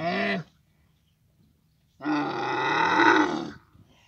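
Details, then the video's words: A short falling moan from a camel in Abu Dhabi during the mating season, then quiet, then a longer, rough, swelling bellow of about one and a half seconds. "camel mating season"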